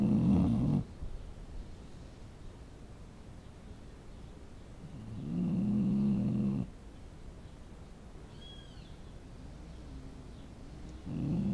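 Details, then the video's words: Snoring dog: long, low, rough breaths at about five-second intervals, each a steady rasping drone, with a brief faint high chirp in a quiet pause. "Cachorro roncando"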